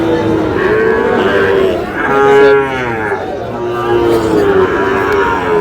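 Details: Sahiwal cattle moo at a crowded market where a bull calf is bought by a farmer from Cox's Bazar, Bangladesh: a few long, smooth lows, one swelling louder midway, over a background of crowd chatter.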